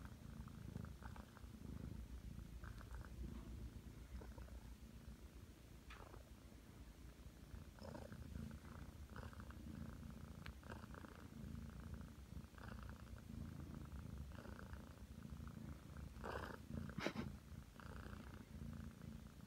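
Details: Nine-month-old Ragdoll cat Aki kneads at bedtime and purrs continuously. The purr is a deep, even rumble, with intermittent fabric rustles and a few sharp clicks near the end.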